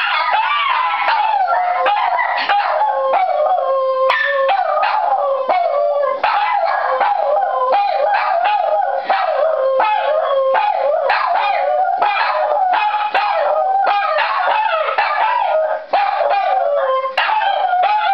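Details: Two Shih Tzus howl together in response to a fire siren, their voices sliding up and down.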